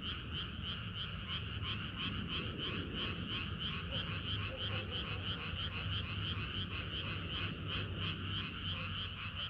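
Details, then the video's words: Many frogs singing together on a hot summer night in Korea, a dense chorus of rapid croaks pulsing about three times per second, with a steady low rumble underneath. "개구리들의 합창은 끝이 없어라"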